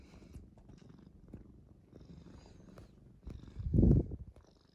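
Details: Gentle household tomcat, rescued as an unusually calm kitten at the end of spring 2015, giving a steady low purr that rises into a loud, rough close-up rumble about four seconds in, then fades.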